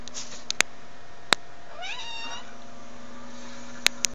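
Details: House cat indoors watching an animal program on TV and attacking the screen; one drawn-out, slightly rising then falling meow-like cry in mid-clip, with several sharp taps or knocks and a steady low hum in the room.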